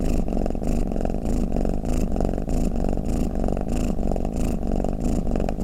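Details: Pet cat rumbling steadily in a low purr, each breath marked by a gentle swell, around ninety pulses a minute.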